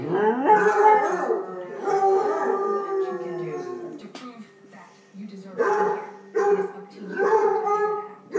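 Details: Arran, a pet dog who likes to sing with other dogs, howls in wavering, rising and falling tones, with several voices overlapping in a chorus of drawn-out wails and short yelping bursts.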